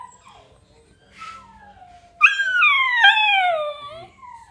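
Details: A miniature dachshund gives a drawn-out, wavering howl that starts high and slowly slides downward, alongside yawning.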